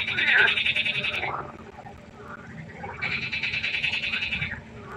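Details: Frogs at night by a pond: two loud, rattling pulsed trills, each lasting over a second, separated by a quieter gap with faint scattered croaks and a steady low hum beneath.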